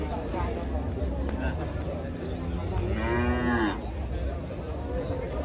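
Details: Agitated cow coming down off a truck gives a single strong, harmonic-rich moo near the three-second mark, set against low vehicle rumble and faint human voices.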